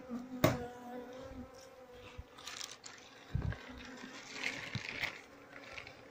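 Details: Queenless colony of Asian honey bees, nested inside a table, being moved as the honey-filled comb is scraped off piece by piece; a steady low droning hum runs throughout, broken by sharp knocks and scraping, with brief human talk.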